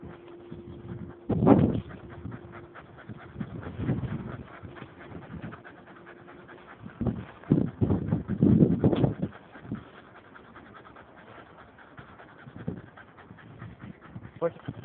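A Staffordshire Bull Terrier cross Pit Bull gives low, breathy huffs and pants in short bursts.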